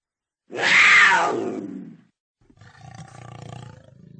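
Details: Cougar giving one loud, raspy scream that drops sharply in pitch. After a pause comes a softer, low, pulsing rumble or growl.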